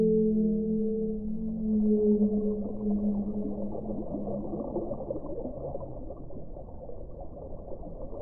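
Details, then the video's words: Whale song: a loud sustained low moan with bright overtones fills the first half, then fades into a busy, crackling underwater murmur. "1 ora di suono delle balene"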